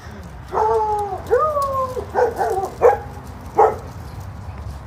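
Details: Dogs at a doggy daycare, reacting when someone sits down: five high, whiny, tonal barks with upward-bent pitch in under five seconds, spaced irregularly about a second apart over a low background rumble.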